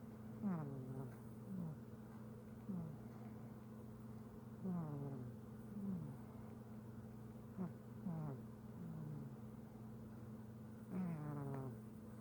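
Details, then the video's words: Simba, a pet cat, snores in his sleep, each breath a short, falling, wheezy squeak, often in pairs every one to three seconds, with a constant low droning hum beneath. "Snoring cat"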